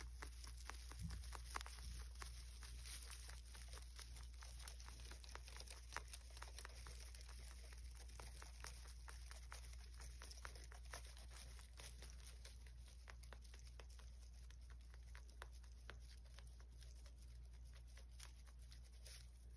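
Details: Indoor rabbit mukbang recorded for ASMR: a long run of sharp, close crunching chews at about two per second, uneven in rhythm, with a constant low background hum.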